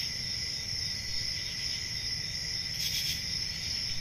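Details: Crickets at night in summer countryside, a constant shrill ringing trill with one louder chirping burst near the end, set against a quiet low rumble.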